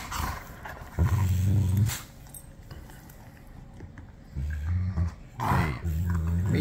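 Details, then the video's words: A 6-month-old German Shepherd puppy and a 9-year-old German Shepherd quarrel over a toy, giving low throaty growls in three bursts of about a second each, separated by quieter gaps, with a person's voice briefly heard. "Two German Shepherds arguing over a toy"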